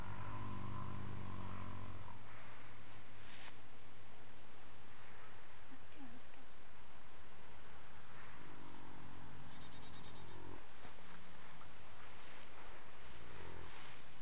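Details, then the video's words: Ten-year-old male registered foxtrotter horse napping in old hay piles in the afternoon after romping in the yard; he has hummed or sung when sleeping or relaxed since young. Low droning hum for two seconds, soft breathing, then another hum near nine seconds. "Horse snoring/humming"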